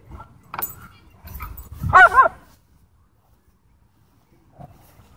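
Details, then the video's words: Doberman and Belgian Malinois in a dogfight at a dog park, one dog breaking into a sharp, high yelping cry for about half a second amid scuffling and thuds, then near silence. "Doberman vs Belgian Malinois Dogfight"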